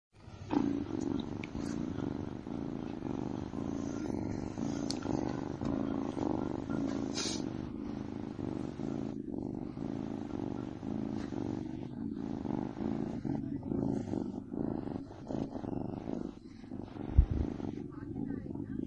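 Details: Sleepy kitten purring: a continuous low, rough rumble that stays even and steady, with a few faint clicks and rustles scattered across the recording.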